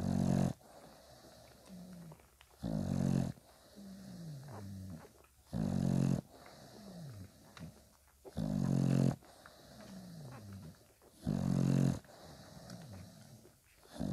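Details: Bulldog puppies five days old, kept with mother Spikkels, give heavy low snorting grunts at regular intervals of roughly two and a half seconds, with thin descending whines and squeaks in between.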